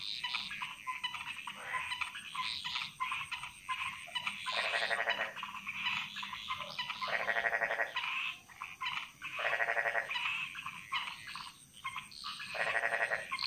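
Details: Frogs singing in a chorus that echoes through the jungle in Bali, Indonesia: overlapping harmonic croaks, louder bursts near five, seven and a half, ten and twelve seconds, over a steady high insect hum.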